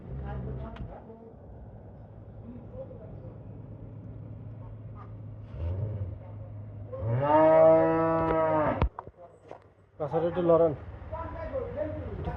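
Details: Holstein Friesian dairy cow, described as healthy, lets out one drawn-out, strong moo after a quiet stretch of steady hum, then a short lower call; human voices are heard nearby.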